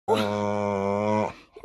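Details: A male English Staffordshire Bull Terrier, learning to bark on command, gives one long, drawn-out, steady-pitched woof for treats.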